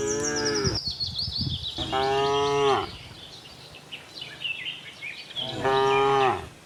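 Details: Tame herd of cows roaming a cattle farm in search of fresh green grass: three drawn-out, harmonic-rich moos, the first falling away at its end, with small birds chirping high in the background.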